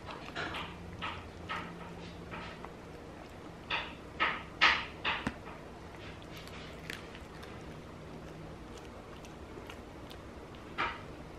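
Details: Kimur, a Maltese-Yorkshire Terrier mix, eating milk bones for the first time, which he loves: sharp crunching bites in irregular bursts, thickest and loudest midway, then sparser crunches, over a steady low indoor hum.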